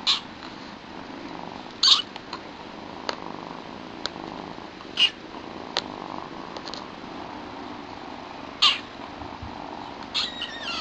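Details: Young household kittens Chilli and Pepper: brief high squeaky mews scattered across the clip, a louder pair near the start and middle, with soft clicks and rustling between, ending in a short wavering cry.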